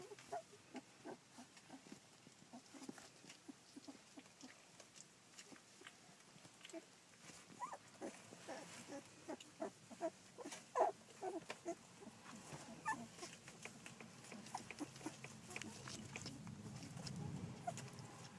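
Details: Collie puppies aged fourteen days, recorded 9 July 2012, giving many faint squeaks and whimpers scattered through the clip, growing busier toward the end over a low rumbling background.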